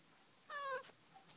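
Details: A domestic cat gives one short meow, a steady harmonic tone lasting about a third of a second that dips slightly at the end, over quiet indoor room noise.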